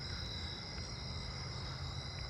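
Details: Narrow-winged tree crickets trilling in a steady chorus at night on August 22 in a residential neighbourhood, unusually low-pitched, close to a Carolina ground cricket's pitch.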